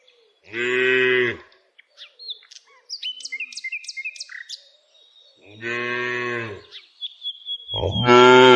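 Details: ['Tame village cows being herded along their daily walk. Two strong, even moos about five seconds apart, with bright bird chirps filling the gap and a third moo beginning at the end.']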